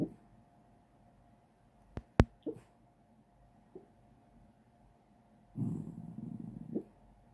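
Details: A sleeping, dreaming dog lets out a few soft, muffled huffs, then a longer low, stifled woof near the end. Two sharp clicks sound early on in a quiet room.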